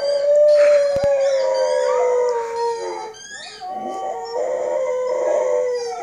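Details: A rescue Siberian Husky, estimated 3–5 years old and usually quiet, howls for the first time: long, wavering howls that slide gently downward, with brief breaks between them.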